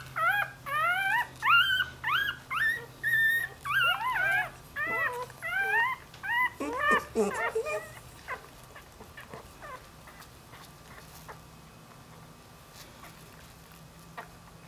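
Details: Puppy whining in a quick series of short rising squeals, roughly one every half second for eight seconds, then fading into quiet room noise with faint clicks and a low hum.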